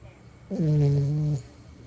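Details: Sleeping toy poodle giving one drawn-out, low, tonal snore lasting under a second, steady and slightly buzzy with a quiet room hum before and after.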